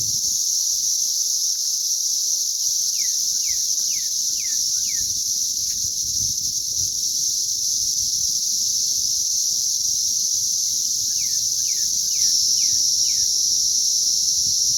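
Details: A May 20th 2034 cicada hatch: a dense, continuous high whine from many insects. Over it come two runs of about five quick descending bird notes, near three and eleven seconds.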